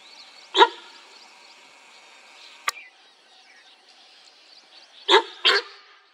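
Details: In Corbett National Park during a tiger sighting, a sambar deer gives sharp, honking alarm barks, one early and then a quick pair, against a faint hiss.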